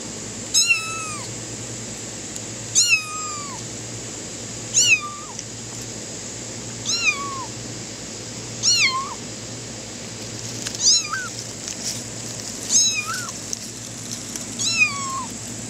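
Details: A kitten running on grass meows non-stop, thin high mews about every two seconds.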